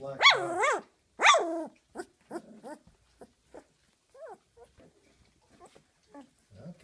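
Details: A 19-day-old female Doberman puppy, just after her first dinner of big dog food, growls in high, squeaky, wavering bursts while guarding her bed from the camera.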